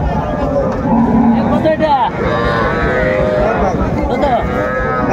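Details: Calves and small bulls for sale at a Faridpur cattle market, Bangladesh, 4 September 2024; several wavering moos sound amid continuous crowd chatter and bargaining voices.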